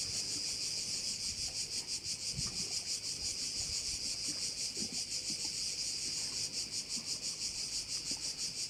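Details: Crickets by a Korčula bay produce a sustained high-pitched, buzzy chorus beating in quick regular pulses, close to three a second, with occasional faint low knocks in the background.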